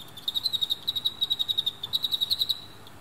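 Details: Captive Emma field crickets, males fighting fiercely beside a female, one male coming from behind to win; rapid series of sharp, high, pure chirps repeated about four per second with a short pause midway, over quiet background hiss.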